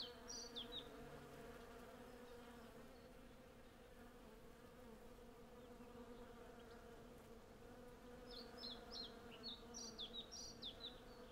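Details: Western honey bees, hundreds strong, collecting honey from cherry blossoms, recorded with a Sennheiser MKH 8040 and Zoom F6. A dense, even buzzing hum dominates throughout, with short trills of birdsong near the start and end.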